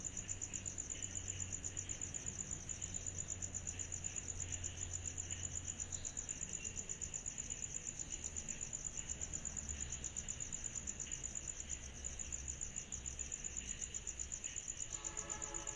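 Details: Summer-night cicada chorus, a continuous shrill pulsing trill held at one high pitch, with a hazy lower band, low background rumble and a brief faint tonal sound near the end.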